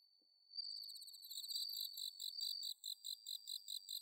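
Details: Bell cricket song on an autumn night, recorded in paddies at Inba Marsh, Chiba, Japan: after near silence a clear high tone starts, swelling into a dense pulsed trill that breaks into short repeated bursts.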